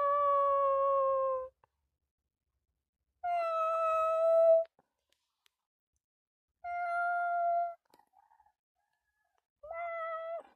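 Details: Kitten meowing four times, each meow steady and fairly flat, lasting about one to one and a half seconds, spaced roughly three seconds apart, in a quiet room.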